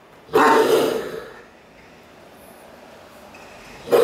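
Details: Great Dane named Cartier Bresson barking while playing in an apartment in Sao Paulo, August 2014: a single deep, loud bark, then quiet room tone, with the start of another bark at the very end.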